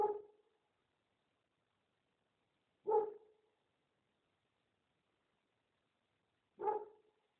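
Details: Street dog barks, three single loud barks spaced roughly three to four seconds apart, with silence in between.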